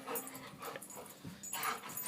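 A dog makes odd little whimpering, grunting noises in short uneven bursts.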